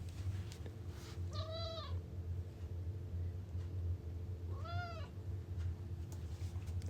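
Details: Pet cat meowing twice in reply as its owner talks about exploring the grass outside: two clear, arched, tonal meows about three seconds apart, over a steady low hum.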